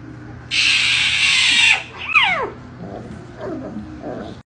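A snow leopard gives a breathy hiss, then short, falling mewing calls that sound high and thin.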